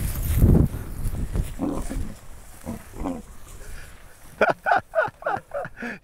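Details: Young lions, a sister chasing her brother, giving a quick run of deep, harmonic grunting calls near the end, about six pulses in under two seconds, after a man speaks over rough, breathy noise.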